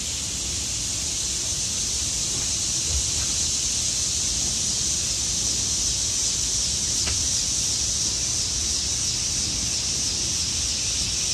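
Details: Autumn cicadas in trees produce an unbroken shrill drone concentrated high in pitch, even in loudness, with a few faint clicks and a soft low background murmur.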